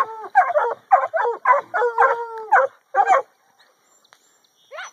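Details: Penned 8-month-old Catahoula and black and tan coonhound pups harassing pigs in the afternoon: a burst of about seven quick, tonal barks, one stretched into a short steady bay, then a pause and a final rising yelp.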